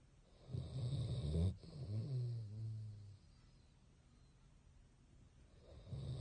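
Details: A sleeping Basset hound named Bongyi snores with eyes open: a deep, rattling inhalation snore followed by a softer, vibrating exhale, then a fresh snore beginning after a quiet pause.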